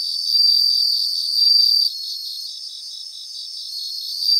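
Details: Chorus of bell crickets singing in grassland in Japan, a clear high ringing tone held for about one and a half seconds, then fading under a rapid, steady pulsed chirping from other insects.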